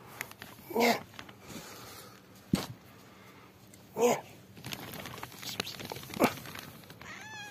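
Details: Yellow mother cat Amarilla, rescued with her newborn kittens, heard indoors: three short meows spaced a few seconds apart, a sharp click between them, and faint high thin kitten squeaks at the end.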